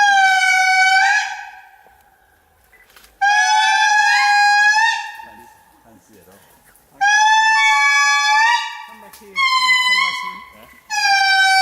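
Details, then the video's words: Indri begin their morning calls in Andasibe-Mantadia National Park, Madagascar, in 2018: long, eerie tonal wails that swell, bend and slide like a plaintive horn. "Indri are about to start making their morning calls. Let's listen."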